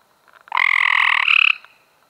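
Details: Cope's gray treefrog in May 2016 giving one rasping, rapidly pulsed trill about a second long that rises slightly in pitch near its end, in an otherwise quiet setting.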